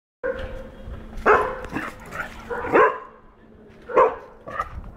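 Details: Four-month-old golden retriever puppy barking after seeing a cow for the first time while chasing it. Three loud, harmonic, yelping barks come at irregular intervals, with softer whines and barks between them.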